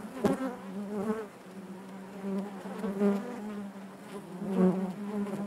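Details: Honey bees buzzing inside their hive: a steady low drone with stacked harmonics, swelling and fading in loudness, with a few sharp clicks and taps at the start.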